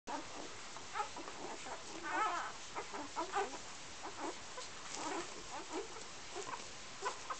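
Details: Golden Retriever puppies from one litter in Iceland give a steady chorus of short, high, squeaky whines and yelps.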